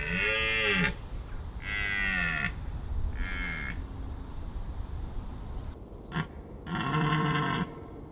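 A rutting deer roars in deep, rich bellows, each about a second long, repeated several times.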